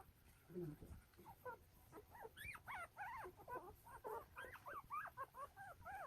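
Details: Newborn Golden Retriever puppies, one day old, from a litter of nine born in Naju, Nampyeong-eup, Korea, with their young mother. Many high, arched squeaks and whimpers overlap in quick succession, nearly continuous through the clip, with low rumbling underneath.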